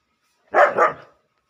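A German Shepherd puppy gives a quick double bark, two bright yelps run together.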